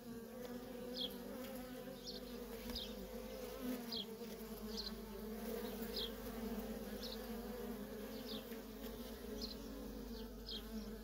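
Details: Feral colony of honey bees, workers coming and going nonstop, giving a continuous dense buzzing drone in stacked tones, with short high chirps recurring roughly every half second to second throughout.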